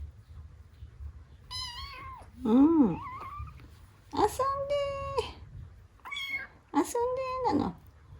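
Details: Newly rescued kitten meeting older household cats indoors; a series of harmonic meows, some rising then falling, roughly four calls over eight seconds, with a woman's voice speaking between them.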